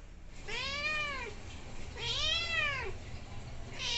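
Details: Kitten chatting and playing with its owner at home, giving two clear arched meows about a second and a half apart, each rising then falling, with the start of a third at the end; quiet indoor background.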